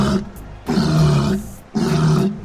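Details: Walrus. A walrus bellows in low, rough roars, two long blasts with a short gap between them. The sound is heavy and grunting, with a strong deep rumble under it.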